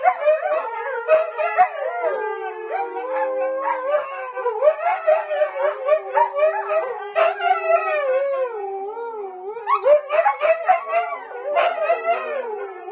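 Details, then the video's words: Siberian Husky dogs howling in a 2020 compilation: several overlapping voices wail and waver in long sliding tones, with rapid rises and falls and short yodel-like breaks throughout. "Howling Huski dogs"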